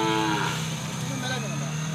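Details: Hallikar stud bull with four teeth, from the Karnataka–Tamil Nadu border in Krishnagiri District, giving a low, drawn-out moo that carries through the whole clip with rich harmonics, a steady faint high-pitched tone in the background.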